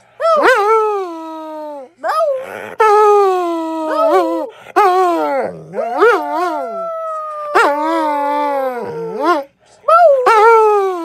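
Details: Dog howling in a string of about six loud, drawn-out notes, each jumping up then sliding down in pitch with rich harmonics, separated by brief silent breaks.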